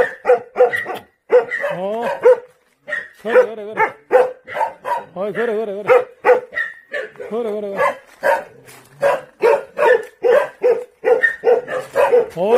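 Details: Jindo dogs on Jindo island, Korea, giving dense, overlapping barks mixed with wavering, yodel-like howls and whines, several dogs calling at once almost continuously.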